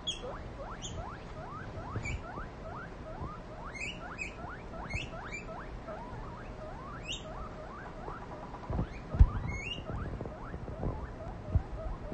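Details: Young female guinea pig practising her loud wheeking, giving a long train of quick upward-sliding squeaks at a steady pace, with occasional higher chirpy notes and a soft rustle and tap near the end.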